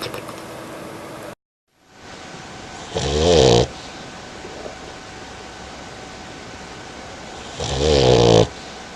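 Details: A dog snoring loudly: two long rasping snores about five seconds apart, each a wavering, buzzy inhale. A steady background hiss runs between them, with a brief silent break near the start.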